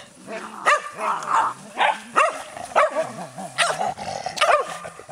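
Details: Skye Terrier giving quick yapping barks over a steady low wavering whine, barks spaced about half a second to a second apart; light background noise.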